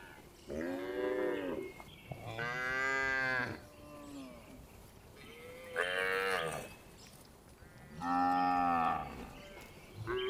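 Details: Afternoon herding of tame cows returning to the barn, with four repeated mooing calls, each about one to one and a half seconds long, rising and falling in pitch, spaced by short quiet gaps.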